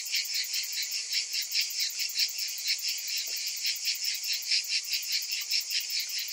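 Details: Cicadas calling on a summer afternoon, a dense buzzing chorus concentrated in the high register, pulsing in soft waves about twice a second with a faint steady whine above.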